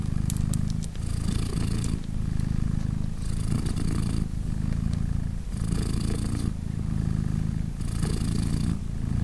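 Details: Mother British Shorthair cat, three days after giving birth to three kittens, purrs while nursing them; rhythmic low purring, each breath cycle lasting about two seconds, alternating dense rumble with breathy, hissing strokes across nine seconds.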